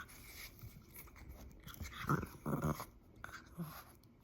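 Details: A French Bulldog puppy makes short, snorting growls and grunts in bursts during rough, mock-attacking play.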